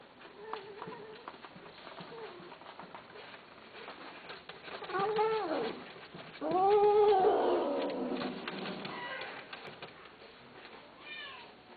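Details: Cats kept as pets give drawn-out, arching meows, two louder ones near the middle, rising then falling, with softer mews and faint background murmur around them.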